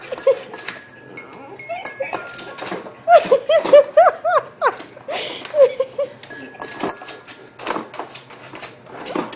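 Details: Dapple Dachshund indoors at a piano, "singing" while playing: short high yelping howls in a cluster, some bending upward, between bursts of a person's encouraging speech and scattered key and tapping sounds.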